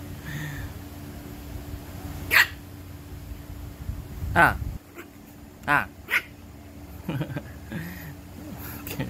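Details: Shih Tzu, described as attention-seeking, giving a few short, sharp, yappy barks spaced a second or two apart, mixed with people talking nearby indoors.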